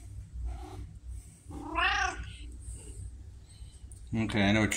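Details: Pumpkin, a vocal female red tabby house cat said to talk like a Siamese, October 2023: one rising-then-falling meow near the middle, with a person's voice and a short strained vocalization at the end.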